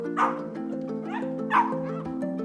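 A small dog gives two high, squeaky yips about a second apart over steady background music.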